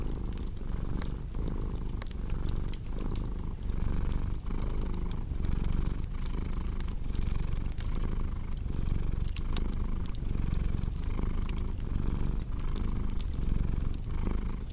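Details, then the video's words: Cat's low rolling purr runs throughout in rhythmic breath-linked waves, mixed with frequent sharp crackles and pops from a fireplace. "Purring Cat"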